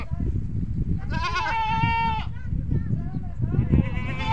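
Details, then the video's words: Goat on a farm giving a drawn-out, wavering nasal bleat that draws the kids toward it, followed by shorter bleating sounds, with a low rumbling background and possible voices. "Goat Farming Mein Bakri Ka Awaaz | Huge Goat Sounds"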